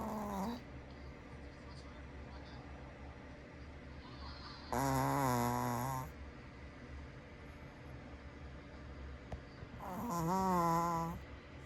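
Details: Sleeping pet dog snoring indoors: long, low, rough drawn-out snores about every five seconds, each a droning tone with a steady buzz, over a quiet background hum.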